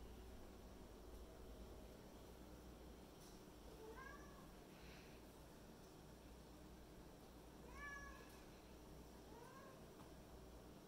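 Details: A kitten talking to her toy monkey indoors: several short, soft, rising-then-falling meows around four and eight seconds, with another brief chirp near nine and a half seconds, over a steady low background hum.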